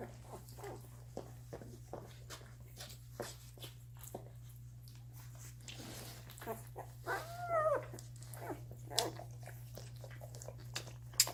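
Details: One-week-old Doberman puppies eating and sleeping: mostly soft shuffling and suckling clicks, then a brief cluster of quavering whimpers near the end, over a constant low hum.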